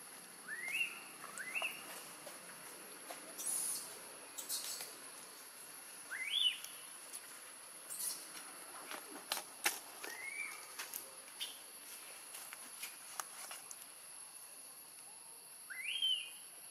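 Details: Hungry newborn macaque near Angkor in Siem Reap Province, long kept away from its mother by Tarzanna, crying for milk: short upward-sweeping squeals repeated every two to four seconds, with scattered clicks and faint voices behind.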